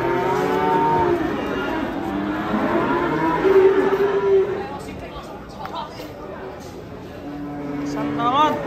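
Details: Massive, raging cow coming down off a truck: a series of low, droning moos, one long steady bellow midway and another rising at the end, with noisy surroundings and muffled voices.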